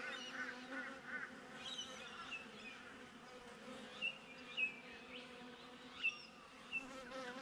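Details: Honey bees buzzing outside a beehive, captured on a GoPro set beside the hive: a steady, droning hum with layered low tones runs throughout, while a few short, sharp bird chirps break in near the middle and end.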